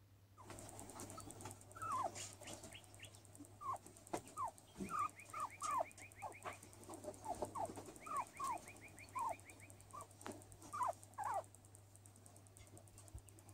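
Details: Skinny guinea pig named Luis vocalizing while sunbathing: a run of short downward-sliding squeaks, some paired, scattered over thirteen seconds, with two quick series of higher, evenly spaced arched notes in the middle.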